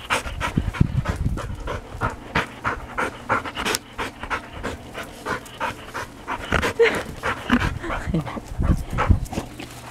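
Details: Labrador Retriever kept as a pet at home in Yaizu, Shizuoka, Japan, on 31 December 2018, during a pet sitter's visit; steady, quick, breathy panting pulses roughly three per second for the whole stretch, with faint background voice.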